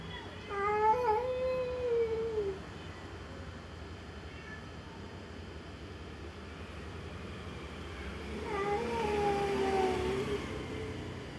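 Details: Domestic cat crying at the sight of another cat: two long, drawn-out wavering wails, each about two seconds, separated by a quiet pause, with a low steady hum beneath.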